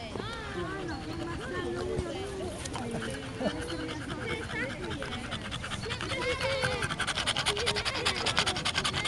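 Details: An overheated French Bulldog pants in quick, rhythmic breaths, barely able to breathe after running around with a black poodle, while a person talks over it.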